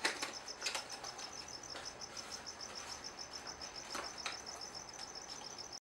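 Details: Crickets inside a gargoyle gecko's vivarium keep up a thin, high, steady chirping, evenly pulsed several times a second, with a few soft clicks and knocks from the enclosure.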